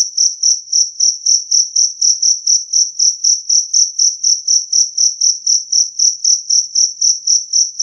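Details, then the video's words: A two-spotted cricket, known locally as jangkrik kalung, sings loudly and cleanly for repelling rats. A shrill, tonal chirp recurs at a regular rhythm of about four per second, with nothing else audible. "Suara Jangkrik Kalung Jernih"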